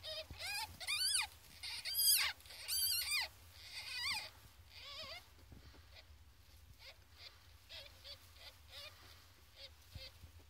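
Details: Loud bursts of shrill, wavering squeals from 14-day-old ferret kits come for about five seconds, then fade to softer, scattered whimpers and thin chirps against a quiet background hum.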